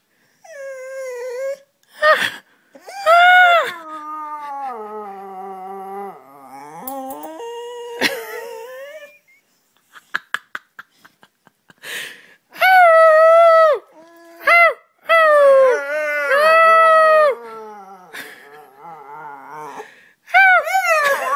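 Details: Charlie, a dog imitating its owner, produces varied whining howls: short yelps, a long wavering low note, a rapid run of clicks, then several rising-and-falling moaning calls in quick succession.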